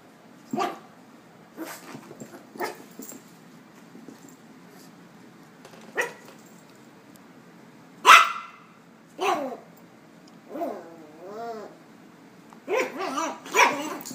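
A Miniature Pinscher gives sharp, high-pitched barks at uneven intervals, with a brief whiny yelp between them.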